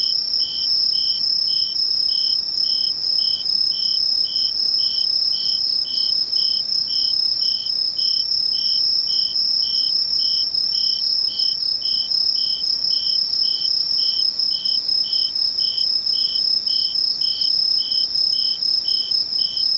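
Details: Insects calling in Misho, Ainan Town, on 21 August 2011: a steady high ringing trill runs unbroken throughout, with a lower chirp pulsing rapidly and regularly beneath it, several callers together, no other sounds.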